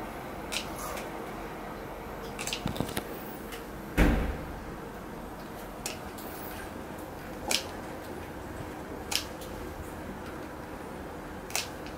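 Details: Indoor room tone with scattered sharp clicks and knocks, including a louder thump near four seconds, like small objects being handled or a cupboard closing.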